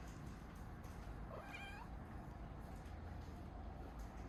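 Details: Pet cat talking as it wakes up, giving one faint, short, wavering meow with a slight upward bend, followed by quiet room noise and a low background hum.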